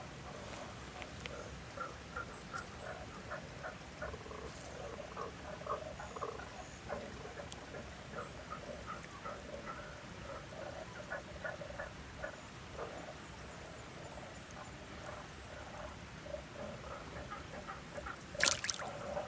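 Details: Japanese common toad, locally called gotobiki, one of two found in a neighbourhood valley in Nakahechi, Tanabe, Wakayama, Japan, in spring as spawning began; short low croaking pulses repeat irregularly over steady background hiss, with a sharp knock near the end.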